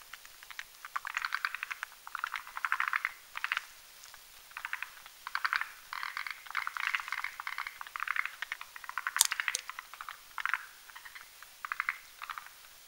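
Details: Forest green tree frogs mating at night in a foam nest over a mountain pond, croaking as they whip the foam with their legs; repeated rattling click-bursts from several frogs, with one sharp knock near the end.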